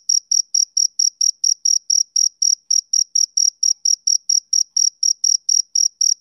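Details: Male cricket chirping on a summer evening: about two dozen short, bright, high-pitched pulses, roughly four each second, in a steady rhythm with faint overtones above and no other sounds.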